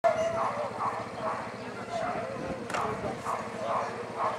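An Alaskan Malamute gives a run of short, voice-like woos and yips, rising and falling in quick succession.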